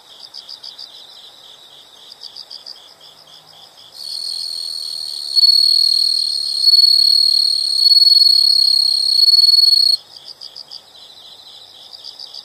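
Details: Insects in a nature sound recording: quiet rapid rhythmic chirps in pulsed groups, joined midway by a loud sustained high trill lasting several seconds before the softer chirping resumes.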